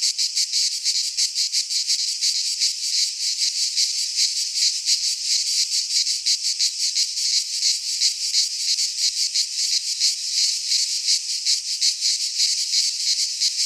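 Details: Many cicadas sing together in a Greek pine forest during midsummer: an intense, metallic high buzz with a brisk, steady throbbing rhythm running on without pause, no other animals heard.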